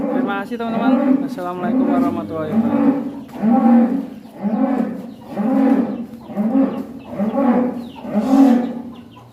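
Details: One-ton-plus cattle in action leaving its pen: a steady series of deep moos, roughly one per second, rounded and rhythmic, with faint people's sounds in the background.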